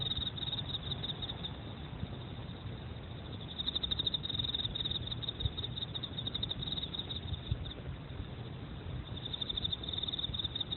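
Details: Emma field cricket giving continuous high-pitched pulsed chirps, with two louder bursts of fast, even trilling separated by a quieter stretch, all over a steady low-frequency rumble.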